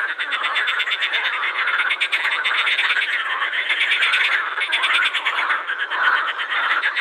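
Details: Croaking concert of edible frogs at the Krebsenwasser in Vienna's Prater; a loud, unbroken mass of buzzing, quacking rattles from many calling frogs, steady throughout the seven seconds.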